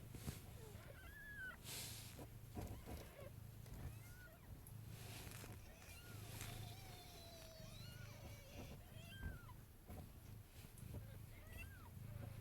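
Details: Several kittens nursing from their mother in a box, live indoors: thin, high mews that bend up and down in pitch, scattered throughout over a steady low hum, with soft knocks and rustling.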